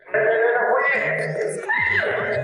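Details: Huahua, a captive giant panda who has learned to imitate her keeper's calls, gives a drawn-out, angry-sounding bleating call at her sister Yezi while pinning her in a corner.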